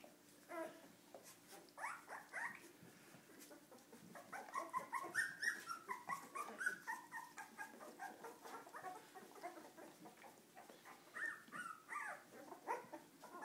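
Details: Several Cardigan Welsh Corgi puppies misbehaving, a steady chorus of overlapping high whines and short yelps rising and falling over background hum.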